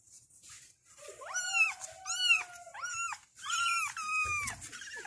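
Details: Kittens meowing to call their mother; a run of high, thin, repeated meows, each rising then falling, about six in five seconds, with a faint steady tone beneath early on.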